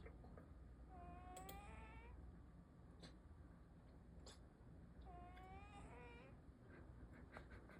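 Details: Snoring house cat in deep sleep, each breath carrying a squeaky rising whistle over a dense low rumble, twice within a few seconds, with light ticking sounds in the room.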